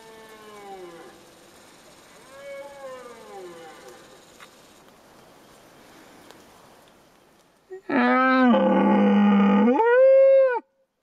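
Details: A wapiti (elk) in Fiordland in 2011 bugles: a faint, distant call, then a loud, harsh, whistling call that rises and falls.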